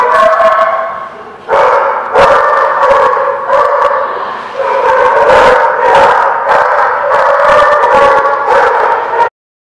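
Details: Group of dogs at The Barking Lot on 20 January 2017 howling together in a long wavering chorus, punctuated by quick yips and barks, the sound cutting off abruptly at the end.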